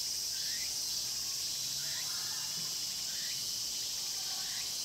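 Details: In a Cheongsong pine grove, Korea, cicadas keep up a thick, piercing drone, overlaid by a lower upward-sliding chirp repeated roughly every three-quarters of a second; recorded on a Panasonic LUMIX GX9.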